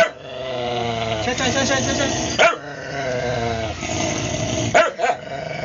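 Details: A newly adopted stray dog named Cody, an aspin, growls steadily in a low, buzzy, wavering tone, with two abrupt barks cutting in, and a person talking nearby.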